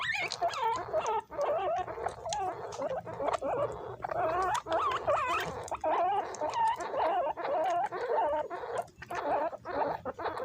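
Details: Guinea pigs kept as pets crowd around bananas, squabbling as they eat. A near-continuous chorus of high, quavering squeals and trilled whistles runs for about ten seconds, with scuffling underneath.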